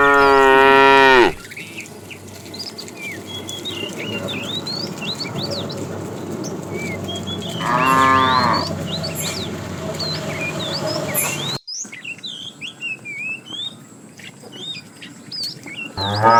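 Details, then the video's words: Tame cattle in a herd journeying toward fresh pasture, with three separate moos: a loud one at the start, another midway and a third at the very end, while many small birds chirp and twitter in the quieter stretches between. "Funny cow sounds"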